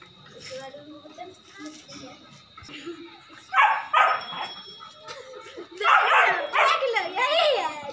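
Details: A two-month-old Rottweiler puppy play fighting with a two-year-old German Shepherd: scattered soft yips, then loud sharp barks, two in quick succession and a burst of rising, yelping barks near the end, with human talk.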